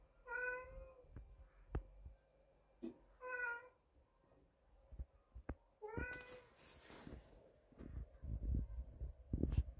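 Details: Neighbour's cat meowing in the background indoors: three clear harmonic meows, the first two drawn out and the last rising then falling, spaced about three seconds apart, amid low rumble, clicks and rustling.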